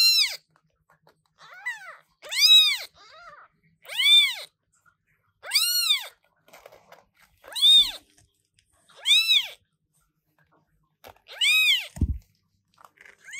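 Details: Loud, insistent meowing from newborn British Shorthair kittens, litter of Coffee and Milk: about eight high, arching meows in steady succession, some fainter squeaks between, and a brief low thump near the end.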